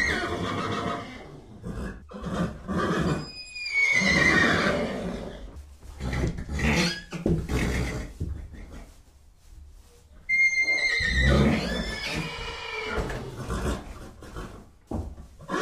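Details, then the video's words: Horse whinnying twice, each a loud, shrill, wavering neigh that starts high and slides downward with a rough, breathy tail, separated by a stretch of snorting and shuffling noise in between. "Sounds of horses. What sounds do horses make?"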